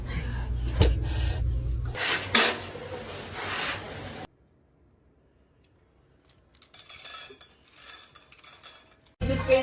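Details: Clattering and scraping like dishes and cutlery, with a brief silence and soft rustling, no animal voice.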